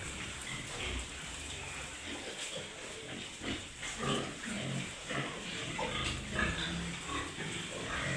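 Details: Pig herd on a Wayanad farm with sows and piglets, rain approaching; a busy mix of rough grunts and short squeals over a steady noisy background.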